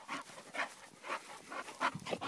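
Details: A young male French Bulldog puppy carries a flower pot in his mouth and cannot see, refusing to step off the grass; quick breathy pants come in bursts about every half second, with a few louder huffs near the end.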